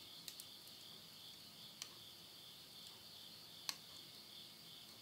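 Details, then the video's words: Insects calling at midnight in the Japanese countryside at Yurihama, Tottori, late summer September 2020: a steady, high shimmering chorus with a few sharp crackles from wood burning in a stove. "the voice of insects"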